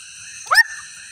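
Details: A swamp frog gives one short, rising, nasal croak over a steady high buzzing drone.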